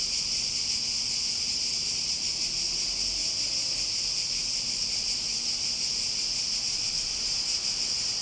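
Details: Cicadas in a nature recording, a dense, steady high-pitched buzzing drone that holds unbroken for the whole stretch, with no pauses or changes in rhythm, over a faint low rumble.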